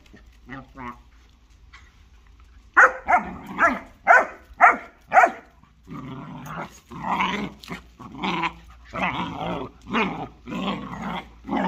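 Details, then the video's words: German Shorthaired Pointer and Jagdterrier locked in a fight: after a quiet start, five sharp barks follow in quick succession, then a continuous run of raspy snarls and growling barks. "German Shorthaired Pointer vs Jagd terrier Fight"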